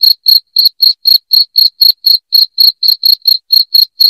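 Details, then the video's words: Shrill cricket chirps used as a rat repellent indoors, about sixteen short pulses in four seconds at a quick regular beat, high-pitched and clean, nothing else audible. "SUARA JANGKRIK NYARING PENGUSIR TIKUS"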